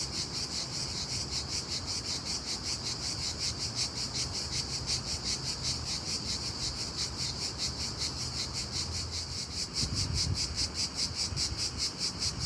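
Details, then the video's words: Unbelievably loud cricket chirping in the daytime: high, buzzy pulses repeating about two and a half times per second in a steady run. Low rumbling background noise sits underneath, with a brief louder swell near the end. "Unbelievably loud cricket chirping sound in day time."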